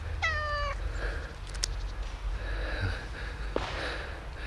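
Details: A friendly ginger cat outdoors on a frosty, snowy morning, asking for warm food rather than cuddles: one short clear descending meow at the start, then quiet outdoor background with faint rustles and a soft click.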